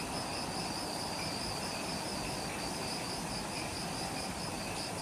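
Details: Jungle insects at dusk just after sunset on Ishigaki Island, Okinawa, Japan: a shrill, continuous chorus with faint high pulsed trills, steady and unchanging, over broad low background noise.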